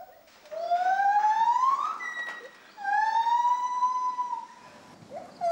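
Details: Gibbons, a pair singing in the forest of Asia, the male starting and the female answering: long pure whistled notes sliding upward, each swelling to a high peak, two rising phrases separated by a brief gap.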